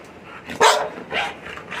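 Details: Labrador Retriever named Milky barking at home: one loud sharp bark near the middle, then a softer second bark, with faint background noise between.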